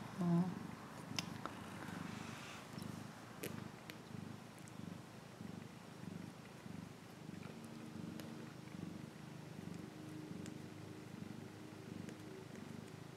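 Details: Deep, rumbling purring from a cat, sustained and rhythmic throughout, with a faint steady hum and occasional light taps in the background.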